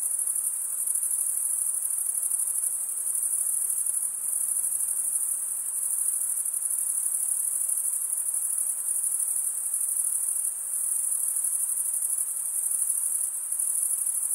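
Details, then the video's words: Crickets, males chirping by stridulation, rubbing one wing's toothed vein against the other: a dense, unbroken high-pitched shimmer with a fine pulsing texture and small dips in loudness every few seconds, no other sounds. "cricket sound"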